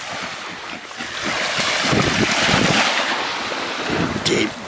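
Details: Surf and wind rush over a beach, with faint voices and a brief high-pitched clatter near the end but no animal call.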